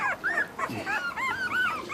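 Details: Newborn-sounding American Bully puppies from ABKC champion lines whining while handled and sexed; arched, whistled whimpers rising then dropping, several in two seconds, with faint murmur of people nearby.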